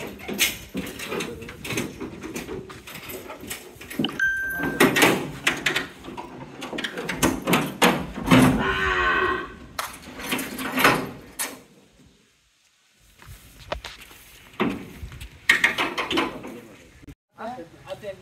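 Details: Cattle in Naogaon, Bangladesh, sold and being loaded onto a vehicle for Tangail and Munshiganj at about nine o'clock: a drawn-out wavering moo among men shouting loading instructions, rope and vehicle clatter, and busy background noise.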